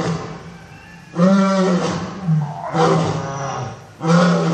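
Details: A lion in a zoo gives deep, rumbling roars in three loud bursts, each a low throaty groan.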